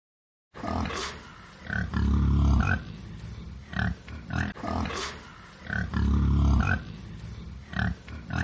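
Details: Wild boar. A wild boar grunts low and harsh, in quick, uneven bursts of short pulses. A longer, throaty rumble breaks up the grunting, and the same sequence comes around a second time.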